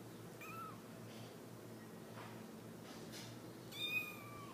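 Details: Three-week-old Himalayan kittens mewing indoors: a thin, high mew near the start, then a louder, brighter, slightly falling mew near the end, over a steady low background hum.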